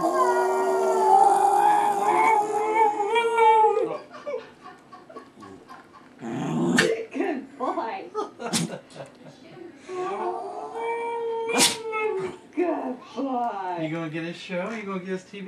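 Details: A dog named Dudley howls at himself while watching his own TV commercial, giving long, wavering, mournful howls, with a person talking gently between them.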